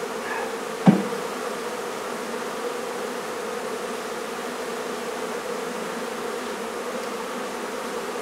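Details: A honey bee colony being relocated from a barn hive in La Feria, Texas. Continuous low buzzing from a mass of bees, with one sharp knock near the start and the hum holding steady afterward.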